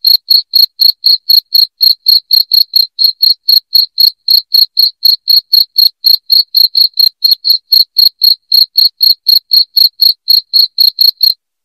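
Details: Loud cricket chirping, offered as a sound for driving rats out of the home: sharp, high, clicky pulses repeated steadily about four times a second without pause, the background otherwise completely silent.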